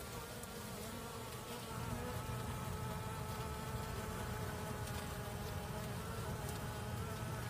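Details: A female honey bee gives a steady, droning buzz that hums without pause, low and slightly nasal.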